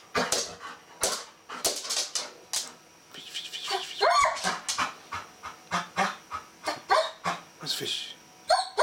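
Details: Golden Retriever excitedly whining and yelping while it wants to play with a bristlenose catfish, a rapid series of short, sharp, high cries roughly every half second, with a person speaking briefly.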